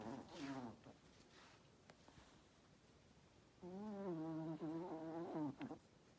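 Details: Toby, a Chihuahua, snoring loudly from beneath a blanket: two low droning bouts with a buzzy, fluttering texture, one brief near the start and a longer one about three seconds later, with quiet breathing-room hush between.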